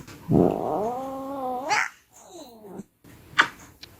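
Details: Female cat, a rescued former shelter cat, indoors talking back to her owner: one long drawn-out meow opening with a low rough note, then holding steady for over a second, followed by a shorter, softer falling meow and a few clicks.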